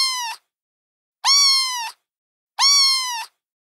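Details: Kittens give three high, piercing meows at even intervals about every one and a third seconds, each bright, harsh-edged and fading at the end, with silence between calls.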